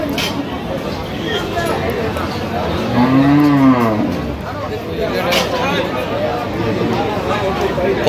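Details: A cow at a cattle market selling cows with calves at Aftabganj market, Dinajpur, Bangladesh, on 6 September 2025: one loud drawn-out moo rising then falling, about a second long, amid crowd chatter and market noise.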